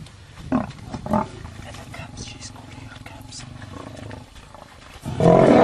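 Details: Lions fighting: two short rough snarling bursts early on, then a sudden loud harsh snarl at the end over a low background rumble, with faint human voices.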